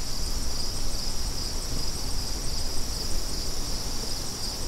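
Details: Crickets sounding with wind, a steady high shimmering trill running unbroken under loud low gusty rumble that dominates the recording.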